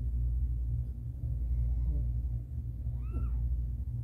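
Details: Meow recorded during a difficult birth as the cat Caramel delivers her kittens: a single short arched call with rising then falling harmonics, over a steady low rumble indoors.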